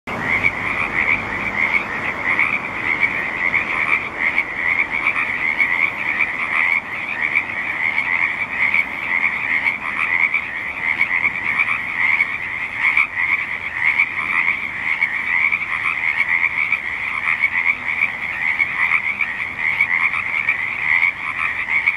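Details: A dense chorus of frogs at the State Street wetland in Olympia, their high rattling croaks overlapping into a steady, pulsing din.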